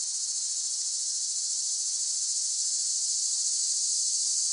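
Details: Continuous piercing buzz of cicadas, an even, high, hissing drone that stays level from start to finish with no pauses and no other clear sounds.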